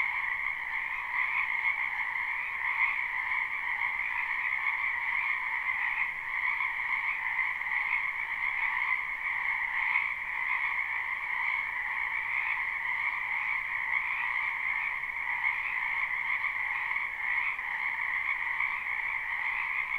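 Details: Spring frog chorus from a wetland behind a house, recorded live without looping: a dense, unbroken wall of croaking trilling voices in two steady bands, one higher and brighter, with slight pulsing swells throughout.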